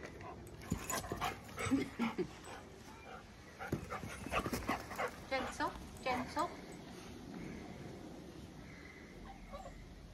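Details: Eight-week-old Labrador puppy Toffee, newly brought home, meets Fudge, a four-year-old chocolate Labrador, for the first time; short whimpering, yelping dog sounds in scattered bursts, mixed with people talking throughout.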